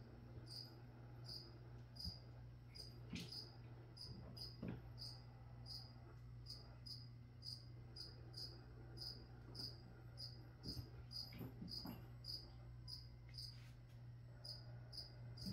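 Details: Cricket chirping steadily indoors, with short bright pulses repeated about every half second for the whole stretch, a constant low electrical hum beneath and occasional faint clicks.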